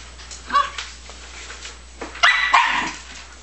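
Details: Young male Scottish Terrier puppy giving two brief bursts of high, sharp yaps, a short pair early on and a louder, longer burst about two seconds later, with quiet indoor hiss in between.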